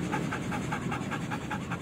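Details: Belgian Malinois in training, panting rapidly and evenly, about nine breaths in under two seconds, each a short huffing pulse, between spoken stay commands.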